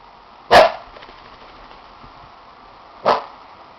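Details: Gizmo, a puppy fresh from a bath and racing about wildly as if wanting to get dirty again, gives two short, sharp barks about two and a half seconds apart, with faint rustling between them in a quiet indoor room.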